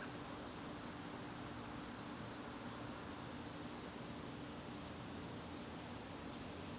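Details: Crickets calling in a garden on a September evening: a steady, unbroken high-pitched trill holds one even pitch throughout, with a faint low background hum and no other clear sounds.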